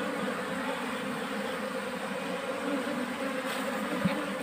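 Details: Asian honey bees from a wild colony being moved into a cultivation box: a steady, droning hum with a low fundamental and a clear overtone, unbroken for over four seconds, with one brief click near the end.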